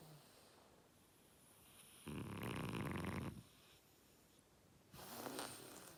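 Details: Oleg, a French Bulldog, snoring so hard the walls shake: a long broadband rasping snore from about two to three and a half seconds, quieter wheezy breathing between, and another rougher snore starting near five seconds.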